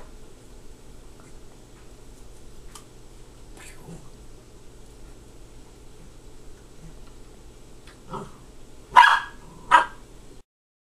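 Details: Dog sharing a toy with a cat, near-silent for about eight seconds with faint clicks and rustles, then two loud, sharp barks close together near the end.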